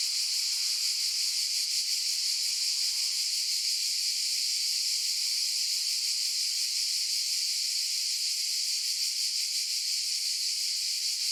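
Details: Cicadas droning together in a piercing, steady electric-like buzz, lightly pulsating roughly three times each second, high-pitched only, with no other creatures or voices heard.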